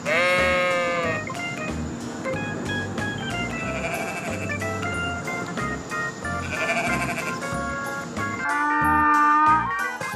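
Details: Sheep bleating, a wavering, nasal bleat in the first second, over loud background music that continues to the end.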